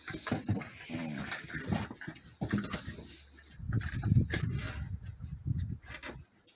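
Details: Border Collie puppies play fighting, pouncing, stalking and going for the face: low, rough growls in irregular bursts, loudest around the middle and fourth second, with scuffling, clicking and thumping noises between them.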